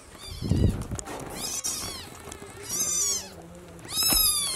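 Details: Three loud, drawn-out mews from a newborn kitten as its mother carries it to the nest, each arching high and fading, after a low thump and rumble at the start.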